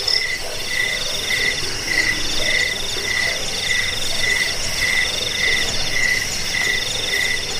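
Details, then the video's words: Cricket, locally jangkik, in a track for scaring rats, helping sleep and training birds: a lower pulsed chirp repeats roughly twice a second, with steady high trilling and a broad hiss of insects behind. "Suara jangkik pengusir tikus pengantar tidur"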